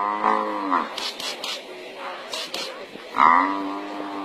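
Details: An African buffalo, downed and being eaten by a lion pride before another buffalo comes to rescue it, gives two drawn-out, moaning bellows, one at the start and one near the end.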